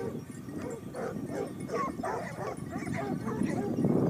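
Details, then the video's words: Basset Hound pack of Topsfield Lebrera, Spain, out hunting in the 2015-16 season, their second year: many hounds giving tonal, resonant bays and barks in quick, uneven succession, voices overlapping throughout. "Basset Hound Pack (jauria) of Topsfield Lebrera"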